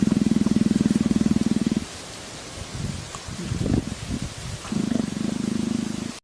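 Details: Leopard, a wild cat, enjoying being scratched behind the ear and begging for affection like a tame house cat. A low, rhythmic, pulsing rumble comes about four times a second in two long bursts, at the start and the end, with soft scuffling between them.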